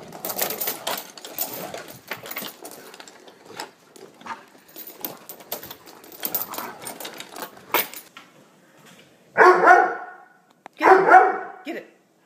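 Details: Doberman dog giving two loud, full barks about a second and a half apart near the end, after a long stretch of clicking, tapping and rustling noise.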